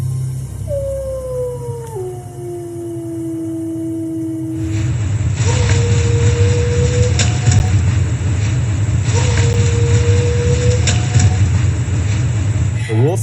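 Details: A purported Japanese wolf howls in long, steady tones, each held at one pitch; it was recorded at night on a forest road in Chichibu-Tama National Park, Japan, on 14 October 1996. Experts say nothing in the sound rules out a wolf.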